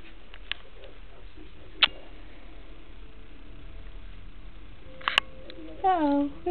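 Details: Cats wandering around a house in Washington, DC, in winter 2010: a quiet room with scattered clicks and knocks, then a short, falling, tonal meow near the end.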